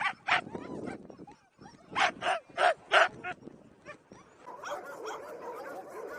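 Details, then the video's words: Dog barking, one of several kinds of dog bark: two short harsh barks, a pause, then four sharp barks in quick succession near the two-second mark, followed by quieter scattered yips and background noise. "Dog barking, sound of various species of dogs!"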